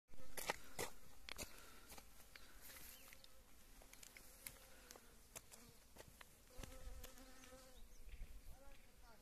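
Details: Honey bees foraging on blooming wild mustard, also called yellow mustard, after winter and early spring rains; a low droning buzz comes and goes between sharp clicks and rustling handling noises.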